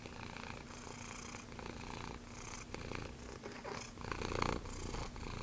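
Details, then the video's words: Low continuous purring from Bennie, a sanctuary cat at Calico Junction with Axenfeld-Rieger syndrome, a rough pulsing rumble that swells slightly toward the end, with faint room noise. "Purr Box Bennie the Special Needs Cat"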